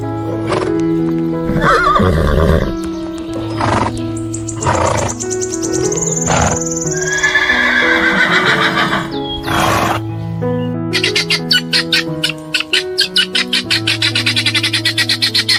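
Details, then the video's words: Horse whinnying in loud, wavering bursts with shaky, falling tones, several calls spread across the recording, over steady background music with a rapid pulsed sound near the end. "Som dos Animais: Flamingo Quati Arara Tamanduá Coruja Lêmure Cavalo Porco Leão Elefante Gibão Galo"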